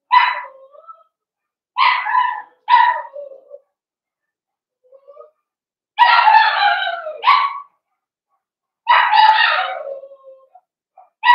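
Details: Cavalier King Charles Spaniel puppy, one of five blenheim pups born at New Year's and kept in a home puppy pen, gives bursts of high yapping barks, some doubled, with longer silences between bursts.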